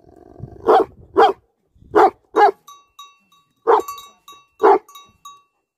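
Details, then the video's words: Tibetan Mastiffs, or Bhote Kukur, give angry barks: loud single and paired barks spaced about half a second to a second apart, each followed by a faint echoing ring, with quiet gaps between. "Angry dogs barking effect sound ||Tibetan Mastiff || Bhote Kukur"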